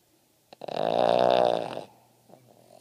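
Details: Gretzky the Boston Terrier snoring in his sleep, one loud rattling, buzzy inhaled snore swelling for just over a second, then a quiet pause and a faint following breath.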